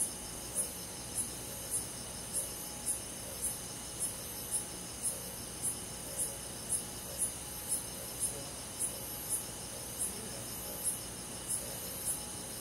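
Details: Summer-night crickets among forest insects in the countryside, a gentle night chorus: bright high pulses repeating roughly every half second for the whole stretch, layered over a steady shrill hum.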